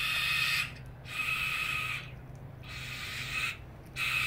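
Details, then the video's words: Harsh rasping screams from two young brushtail possum joeys squabbling with each other, in four sustained noisy bursts separated by brief silent gaps. "Possum Screamfest"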